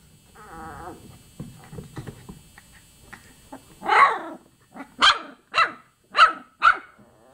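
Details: Chocolate Labrador Retriever puppies aged 24 days: a brief high whine and soft scuffling, then five sharp, short yips in quick succession, about one every half second toward the end.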